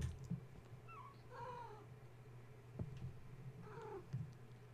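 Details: Kittens of the cat Gaia, roused at bedtime and playing, climbing walls and fence instead of nursing: several brief high mews, some falling in pitch, heard in quick succession amid thumps and a steady low heater hum.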